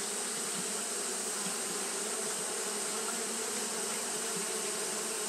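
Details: Continuous massed buzzing of Japanese honey bees fanning through a hot day, an even, unwavering drone with a faint low hum band and wide hissy texture, no other sounds standing out.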